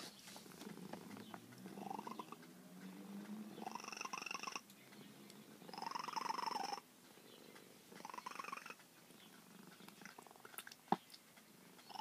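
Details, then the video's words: Long-feral female cat, gradually tamed through years of patient care, 'talks' in a run of rising, chirp-like meows, four bird-like bursts separated by short pauses over a soft purring background, with a single sharp click near the end. "Talking feral cat"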